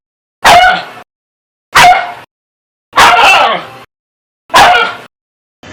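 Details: Dog barking aggressively: four loud, harsh barks spaced about a second apart, each a short broad burst with a clipped, distorted edge, separated by silence.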